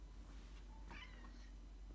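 A house cat gives a single short, rising-then-falling meow, asking to be let outside.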